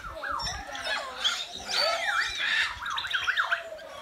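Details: A group of meerkats at Lincolnshire Wildlife Park checking out a strange cardboard box in their enclosure; wavering, rising-and-falling squeals and chirps overlap, ending in a quick run of zigzag calls.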